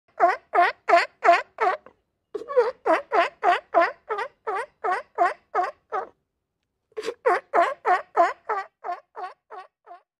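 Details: Sea lion barking in a steady series, about three harsh, harmonic barks per second, each dipping then rising in pitch, in runs broken by short pauses; no other clear sounds.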